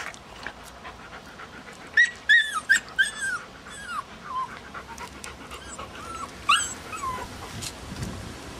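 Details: Puppies at seven weeks old, whining and yipping in high, rising and falling squeals in a cluster around two to three seconds and again near six and a half seconds, with a woman speaking Hungarian right after.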